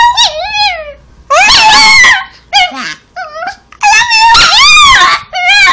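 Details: Pet Chihuahua 'talking', coaxed to say 'I love you', gives loud, wavering howl-like yowls in several separate bursts, pitch bending up and down, one short low groan in the middle.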